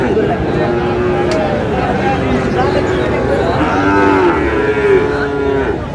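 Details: Sahiwal bull calves at the Raniganj cattle market in Mymensingh, Bangladesh, on 7 May: low, drawn-out moos with gently arching pitch, the clearest near the end, over steady crowd chatter and market bustle.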